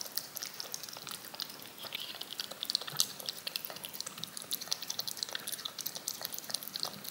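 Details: Cat licking yogurt off a spoon: a steady stream of soft, wet, crackling smacks and tongue clicks, irregular and several per second, with no other clear sounds.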